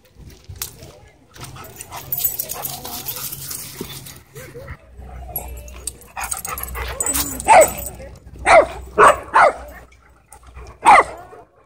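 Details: Dogs at a dog park during a wild chase: after a stretch of talking and rustling, loud sharp barks come in a rapid cluster of four, then one final bark, with voices in the background.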